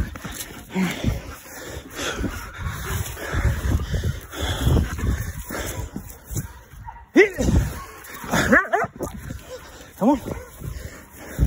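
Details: Working Belgian Malinois in bitework training: a run of sharp yips and whines, bending in pitch, clustered in the second half after muffled scuffling, with a trainer's encouraging speech mixed in.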